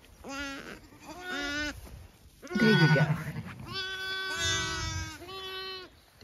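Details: Zwartbles triplet lamb on a farm in County Kilkenny, Ireland, tube fed the day before and now doing better, bleating in short wavering cries among lambs calling for their mothers, with a woman talking softly nearby.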